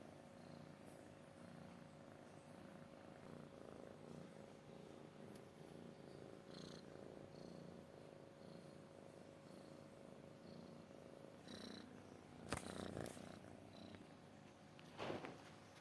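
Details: Domestic cat purring softly and steadily, a low rumbling hum under a faint constant tone, broken near the end by a couple of sharp clattering knocks.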